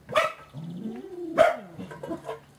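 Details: Seven-week-old puppies of a litter indoors in the afternoon: a sharp yip opens, then a drawn whining note rises and falls. A second loud bark follows near midway, then softer short yelps trail off.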